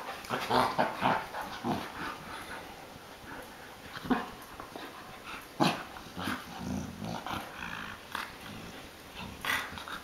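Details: Playful growling from a grown American Akita entertaining a younger puppy brother: low, throaty grumbles and brief yipping snarls come and go irregularly, with scuffling and some soft background noise between bursts.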